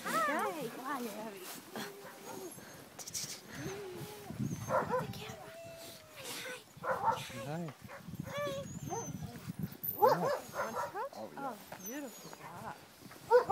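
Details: Twelve-week-old husky sled dog puppies, just woken from a day nap, being held in Tromsø, Norway: repeated high, wavering whines and yelps rise and fall throughout, with people talking close by.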